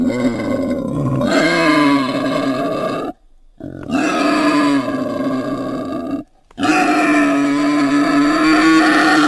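A wild boar gives loud, harsh, drawn-out grunting calls in three long bursts.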